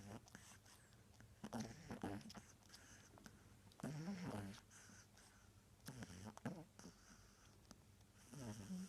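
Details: Pug named Джастина snoring indoors: rough, raspy breaths repeating roughly every two seconds, each a buzzy low snort with noisy hiss, pauses of quiet between.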